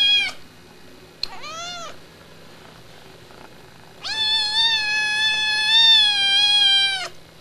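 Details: Pet cat calling loudly: two short, clipped meows followed after a pause by one drawn-out, strong meow of about three seconds at a steady pitch, with a faint low background hum.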